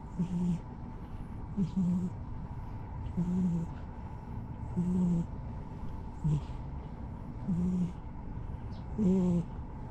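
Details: Tough-faced brown and white park stray soaking up the evening sunset light, giving soft low grumbling notes at a slow, uneven rhythm of roughly one every one and a half seconds, each with an airy exhale, steady hum underneath.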